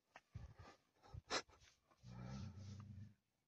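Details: Tibetan Mastiff named Daniu at a mine, in hunting mode with a voice likened to a lion's: after scattered rustling and a sharp knock, one faint, low, rumbling growl holds for about a second.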